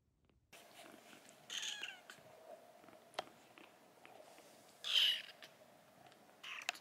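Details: Sickly rescued silver tabby kitten, the tenth taken in that year after an emergency SOS from Tokyo in 2021, indoors during a hunger strike; short, high, strained meows near 1.5 s and a louder one near 5 s over a steady faint hum.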